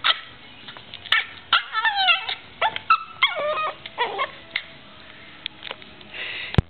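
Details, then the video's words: Yorkshire terrier, female, playing with her owner, making funny noises: a string of high, wavering whines and squeaky yips rising and falling, bursts every half second or so with short pauses between. "Yorkie making crazy noises"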